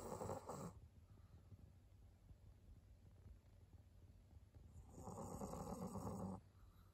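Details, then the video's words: Snoring from Maria, a senior fawn female pug aged 11 in Japan: a short raspy snore at the start and another longer one near the end, with soft breathing noise between them. "パグのマリアさん。Pug Maria."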